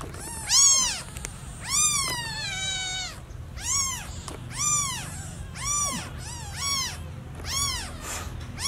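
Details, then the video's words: Newborn kitten calling for its lost mother: a dense run of loud meows, early ones long and drawn-out with falling tails, later ones shorter and quickly repeated. "Newborn cat meowing too loudly for mom - Baby kitten meowing very much when lost mom"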